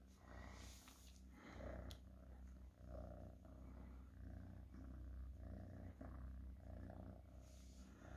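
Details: Pet cat purring steadily, a deep buzzing drone pulsing with its breathing, opening with a few brief rustles and clicks before settling into an even rumble.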